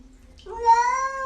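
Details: Domestic cat "talking" indoors: a single drawn-out meow lasting under a second, starting low then holding a steady, slightly rising tone with rich harmonics, a faint low hum beneath.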